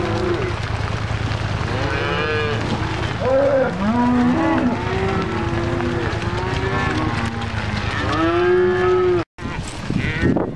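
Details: Cattle on a drive near Missoula, Montana, a loud chorus of many overlapping moos, long bellowing calls rising and falling, some low and some higher, constant from start to end with a brief gap near the close, wind and a steady low rumble underneath.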